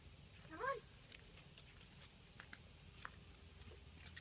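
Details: Five-week-old English bulldog puppies of the Pebbles and BamBam litter, born 9/7/14, playing; a single brief high yelp that rises sharply, followed by faint scratching and soft taps in a quiet room.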